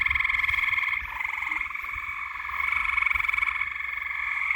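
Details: Frogs trill in a loud, unbroken chorus at night. Fast rattling pulses form a higher, shrill layer and a lower, reedy one, and the level rises and falls gently.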